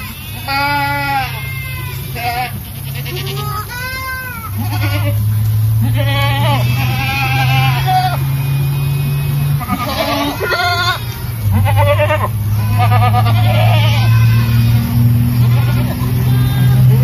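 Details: A herd of Boer goats with their kids calls almost constantly. Loud, wavering bleats from several animals overlap, some high and thin, others deeper and drawn out, over a continuous low droning hum.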